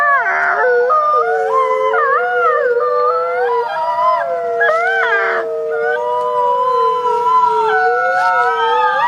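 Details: Several wolves, caught on a trail camera, howl together in long wavering tones that slide up and down and overlap in a chorus.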